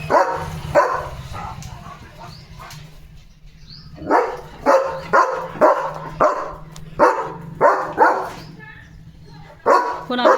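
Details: On a morning in the yard, a German Shepherd barks at sparrows eating at the bird feeders and chases them off, giving a run of deep, hoarse woofs about one a second while a woman talks over the opening.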